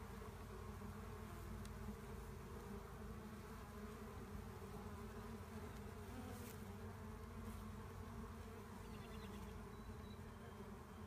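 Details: Collecting a honey bee swarm near a hive: a continuous low-pitched buzz from a mass of bees, even in loudness throughout, with a few brief sharp ticks.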